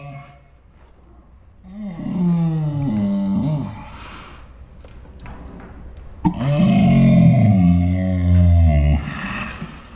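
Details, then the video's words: Pet Saint Bernard called Ours talking in dinosaur-like noises: two long moaning groans, each rising then sliding down, with a quiet pause between and a deep, rough rumble under the second. "My Saint Bernard makes dinosaur sounds"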